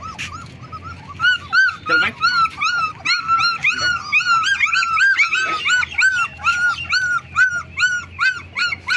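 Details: Black German Shepherd puppies, 20 days old, whimper and yelp continuously, short arched squeals repeated about three times a second, with faint music and a voice in the background.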